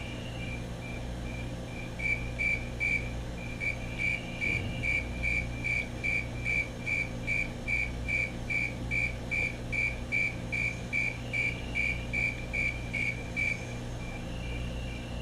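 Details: Calling male Fulton's tree cricket, chirps starting after two seconds and running in an even series of bright, tonal pulses, about 146 per minute, with a faint second caller and distant low hum.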